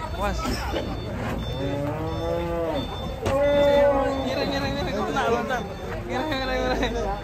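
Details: Huge, heavily built cattle being unloaded from a truck give several drawn-out, low harmonic moos, each lasting about a second, with a louder bellow near the middle. Background murmur of people and handling noise run throughout.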